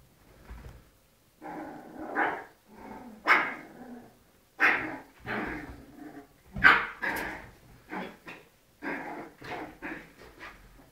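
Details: Little dogs fighting, giving a string of harsh barks and growling snarls in uneven bursts, some sharp yelps rising above the rougher noisy calls, with short silent gaps between outbursts.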